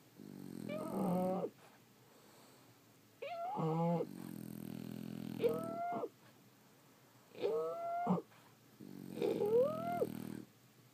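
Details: Several pet French Bulldogs snoring in sleep: five slow breath cycles, each a coarse raspy rumble mixed with nasal whistles that bend upward, separated by near-silent pauses of one to two seconds.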